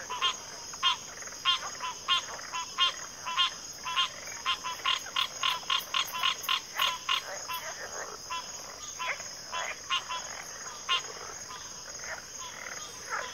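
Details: Frog chorus at a backwater: rapid runs of short rasping croaks that bunch together mid-clip and then thin out, with a steady high insect whine underneath.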